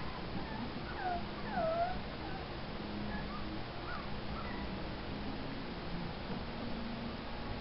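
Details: Male Wheaten Terrier puppy in training whimpers with a few thin, sliding whines, the clearest a falling-then-rising cry early on, then fainter scattered squeaks over a low steady hum; a person's repeated sit command comes just before.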